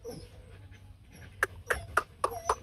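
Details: Rottweiler puppies, two males beside their mother Hanna as she licks them; five sharp, short yips come roughly every quarter second in the second half after a quieter stretch of faint squeaks.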